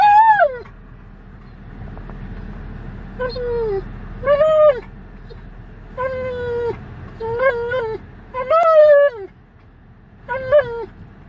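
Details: Alaskan Malamute on a road trip, vocalizing inside a vehicle: drawn-out whining 'woo' calls that rise then fall, in about seven bursts spaced a second or more apart, over steady low road rumble.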